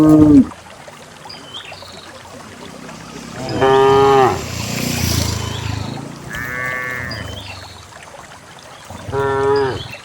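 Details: Dozens of cows walking down a lush green hill into a fertile valley pasture; several harmonic moos rise out of a quiet rural background, each about a second long, spaced a few seconds apart, with faint high bird chirps.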